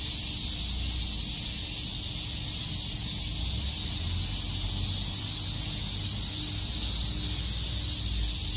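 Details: Summer-day cicadas in Tokyo's Shakujii Park keep up an unbroken, piercing buzzing wash at steady volume, layered over soft low rumbling from the surroundings.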